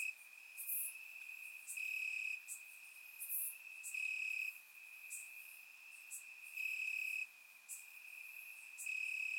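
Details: Summer-night crickets chirping in Bulgarian grassland, a constant shrill trill punctuated by louder rhythmic chirp bouts repeating about every two seconds, with a few sharp high clicks; surround recording.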